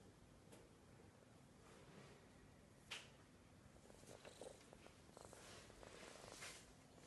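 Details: A sleepy domestic cat purring steadily, a low, continuous rumbling texture throughout, with faint soft clicks and a brief sharp knock near the three-second mark in a quiet indoor setting.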